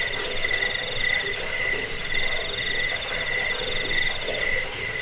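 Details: Chirping crickets used to scare off rats, aid sleep and train songbirds; a piercing, fast-pulsing trill runs unbroken while a lower, softer chirp comes in quick regular bursts.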